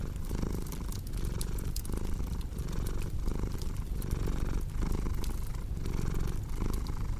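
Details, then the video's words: Cat purr as a rough, low vibrating drone broken into breath-length surges under a busy crackle of burning wood. "Purring Cat with Cozy Crackling Fireplace Sound"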